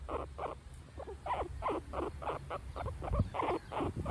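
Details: Caged guinea pig Bela in a shady backyard, with Tikaani the husky sniffing at its cage, gives quick pulsed calls, roughly three per second, each burst slightly rising, with a soft thump and low background rumble.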